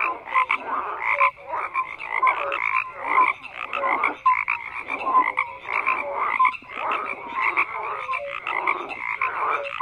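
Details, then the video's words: Loud massed frog croaking, bursts of rattling croaks about every second with thin whistled notes between, a dense steady chorus with no background noise. "FROGS CROAKING"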